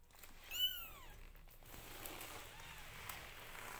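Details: Newborn domestic kitten calling while its mother grooms the litter: one high, arched mew that rises and then falls, lasting about half a second, followed by quiet hiss and faint rustling.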